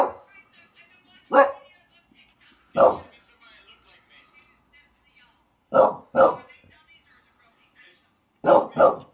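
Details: Two English Bulldogs barking at the neighbours: five loud, deep barks, some in quick doubled pairs, spaced a few seconds apart, with faint harmonic whining between them.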